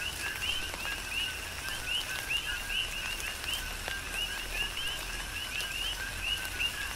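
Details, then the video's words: Coqui frogs calling during a tropical rain shower on the Big Island, Hawaii: a rhythmic chorus of short two-note chirps, a lower note then a rising higher whistle, overlapping from several frogs, with steady rain and scattered raindrop taps. "Tropical Rain & Coqui"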